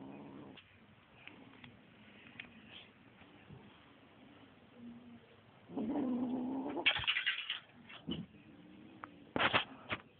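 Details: Kitten growling while attacking a feather toy: a low, steady rumbling growl that swells into a louder, throaty snarl partway through, broken by short sharp rustling bursts near the end.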